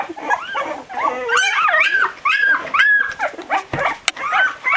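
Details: Barbet puppies twelve days old, staggering about in search of their mother, give a steady stream of high, bending whimpers and squeaky yelps, several voices overlapping, rising and falling pitch with brief gaps.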